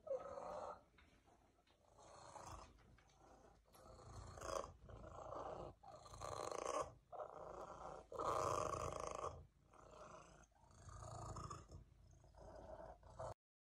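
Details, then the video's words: Loud, rumbling purr from Cervesa, a people-loving female cat whose purring is so intense it can make her cough, pulsing steadily in breath cycles roughly once a second, each surge grinding and throaty. "The Kitty With The Loudest Purr Ever!"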